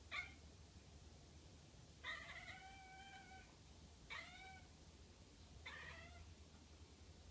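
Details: At the window, the cat Izel gives four strange, bright, harmonic calls, each bending downward, spaced about two seconds apart against a faint low room hum.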